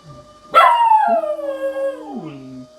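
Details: A pet dog howls during a civil defence drill with a siren sounding: one long howl starts high, then slides steadily downward with rich harmonics and ends low, over faint steady tones.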